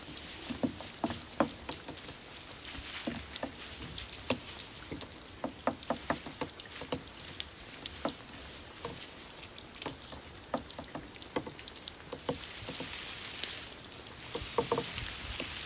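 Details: Crickets meant to be played to cats: a steady piercing trill underlies scattered ticking clicks, and a run of about ten rapid high chirp pulses breaks out midway before the ticking resumes.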